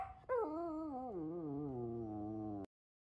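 A Samoyed puppy gives a young, wavering howl that begins high and slides steadily downward.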